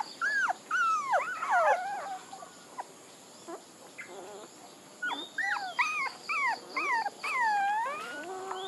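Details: Several puppies whimper and whine in a steady stream of arched, harmonic cries, some rising and falling, others sliding downward, packed closely with brief pauses, over a faint repeated high beeping tone in the background.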